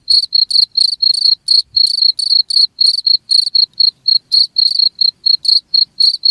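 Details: Sharp, high cricket chirps follow each other rapidly and regularly, about four each second, intended for scaring rats away; faint low thumps beneath, otherwise clean.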